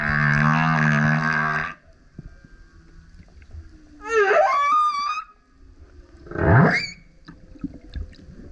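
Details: Male humpback whale singing loudly while surfacing beside a kayak: a long harmonic moan, then a rising wavering whoop with sweeping overtones, and a quick upward-sweeping grunt-howl, separated by quiet water noise.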